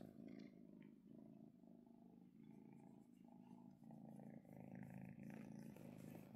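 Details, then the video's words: A female kitten purrs contentedly as she is petted at home, the low throbbing rumble repeating in even breath-length cycles, roughly one per second, with faint handling noise. "Kitten Purring While I Pet Her!"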